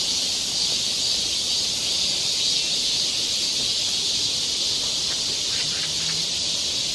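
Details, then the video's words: Summer cicada chorus on a forest trail in Seoul, Korea, a steady shrill hissing buzz holding at one level, with faint brief chirps from another creature near the end. "cicada sound"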